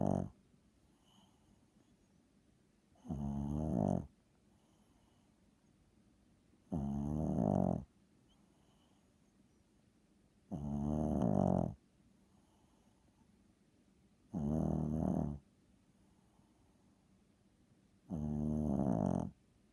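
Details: Small pet dog weighing 7 lbs, asleep and snoring loudly: rough, rattling, harmonic snores about one second long, repeating roughly every three to four seconds, with quiet room hiss between breaths.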